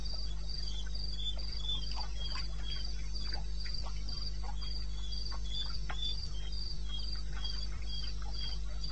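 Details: In eastern Botswana wilderness at 02:30 AM, 21 May 2016, crickets trill in regular high chirps, roughly three and a half per second, joined by a lower chirping voice, soft scattered clicks and an unbroken low rumble.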